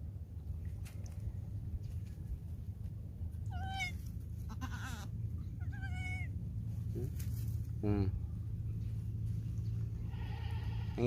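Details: Goat weakened by the heat, unable to nurse, giving several quavering, tremulous bleats spaced a few seconds apart, the last one sliding downward, amid a steady low hum and nearby Tagalog talk.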